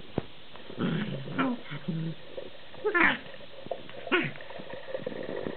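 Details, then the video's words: Afternoon play burst from a collie x husky mix: a string of gravelly growls and odd moaning, yowling vocal noises rising and falling in pitch, with a squeaky yelp near the middle. "(collie x husky) growling and making funny noises"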